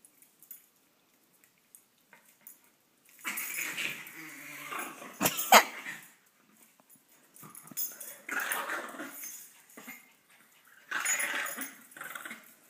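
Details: Several dogs compete for dominance, trying to claim each other; after a quiet start, harsh, noisy growling and snarling comes in three bursts of a few seconds each, with short gaps of near silence between.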